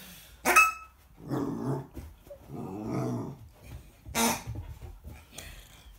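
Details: American Akita puppy confronting a pig indoors: two sharp, loud barks, at the start and near the end, with rough, low, grating growl-like bursts in between. The room is otherwise fairly quiet.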